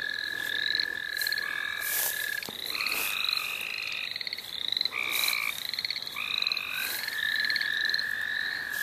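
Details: Chorus of many frogs in the St. Olaf College Natural Lands. Dense overlapping calls: quick upward-sliding chirps repeat again and again, a long even trill runs steadily, and shorter buzzy bursts come in between, with a few brief rustling knocks.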